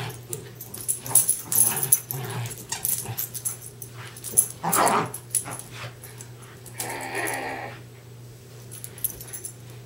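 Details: Darby and Riley, a pair of westies, tugging on a toy together; scattered gruff growls and snuffling bursts come irregularly, with a louder rasping stretch near the end and a constant low hum.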